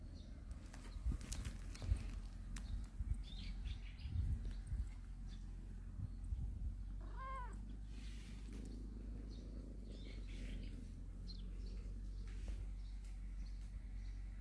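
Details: One of a family of storehouse cats basking in morning sunshine gives a single clear, bending meow midway through, surrounded by quiet rustles and faint outdoor background.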